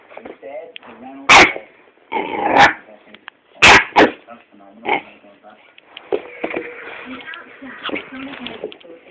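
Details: Bruno, a 10-week-old Staffordshire Bull Terrier puppy, barks at a phone with sharp, high-pitched yapping in irregular bursts over faint voices.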